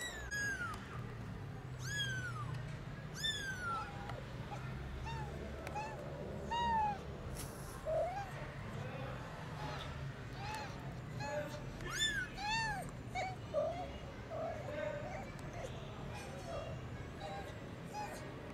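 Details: Tiny kittens in a garden for the first time meow loudly and often: many high, arched cries from several kittens, some overlapping, spread through the recording with a low rumble and faint voices underneath.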